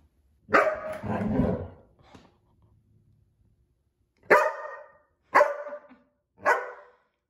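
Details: Belgian Malinois at home during an ordinary day; a loud bark followed by a drawn-out growly bark, a pause of about two seconds, then three sharp single barks spaced about a second apart.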